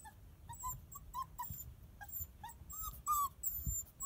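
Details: A 7-week-old female Border Collie puppy whines in a run of short, high, wavering whimpers and yips, some rising or falling, with a few brief gaps, over a low background rumble.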